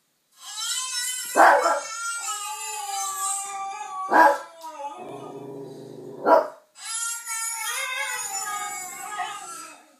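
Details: Yorkshire Terrier reacting to a dog and a baby on TV: long wavering harmonic howls broken by three sharp barks spaced about two to three seconds apart, with a low buzzy hum between them.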